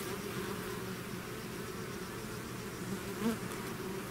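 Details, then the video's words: Bees swarming out of their hive produce a constant low buzz, with one louder bee briefly passing close near the end over the steady collective hum. "bees therapy swarm natural buzzing sound"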